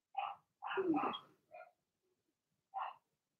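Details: Six-week-or-younger Blenheim Cavalier King Charles Spaniel puppies from a litter of six, two girls and four boys, give short, high yappy barks with a brief whiny yelp between in their puppy pen.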